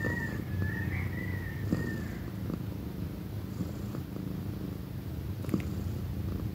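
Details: A female pet cat about one year old purring loudly. The deep rumbling purr pulses continuously and low, and a brief thin whistled tone is heard during the first two seconds.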